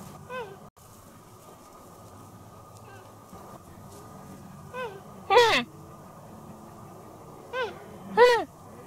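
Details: Young deer calf calling for a playmate with a series of descending, nasal bleats, the calls falling in pairs: a softer one quickly followed by a louder one, over faint steady hum.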